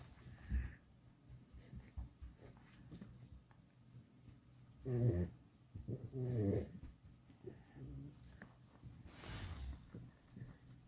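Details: Alice, a pet fox kept at home, complaining: a few short, throaty whining bursts with wavering harmonics, two louder ones close together midway, set among low rumbling breaths and soft indoor rustling.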